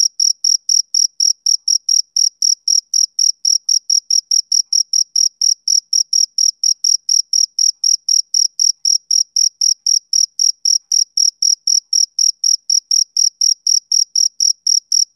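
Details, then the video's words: Rhythmic, soothing chirps of a male cricket on a summer evening. Shrill short pulses arrive steadily around four per second for the whole stretch, alone in silence. "Cricket Chirping Sound Effect"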